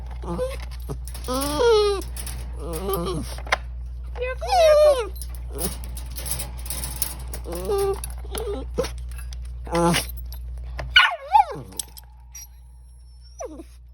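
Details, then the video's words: Pet Chihuahua named Miracle making silly sounds in a small room: several drawn-out, rising-then-falling whining howls with a bending pitch, spaced a few seconds apart, mixed with a person's voice and a few sharp knocks. "Miracle the Chihuahua makes silly sounds"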